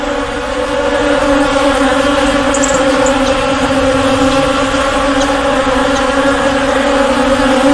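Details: Swarming bees make a continuous, even hum with a strong low tone and a clear higher overtone, holding at one loudness throughout with no pauses.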